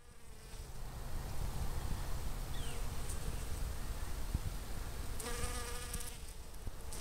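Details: Honey bees among garden blossoms on the Fresno County Blossom Trail in February 2011: a steady, humming buzz that swells near the end, with a heavy low rumble of wind underneath.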